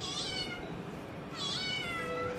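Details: Female pet kitten at home mews twice, about 1.3 seconds apart, each a bright, high, slightly falling meow. A woman speaks Bengali nearby.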